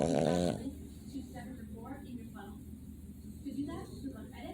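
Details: Boston Terrier (Canis lupus familiaris), snoring.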